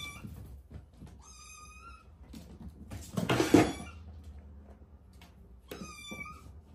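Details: Domestic cat in a small room: a high meow, then a loud thud and scraping noise, silence, and a second shrill meow near the end.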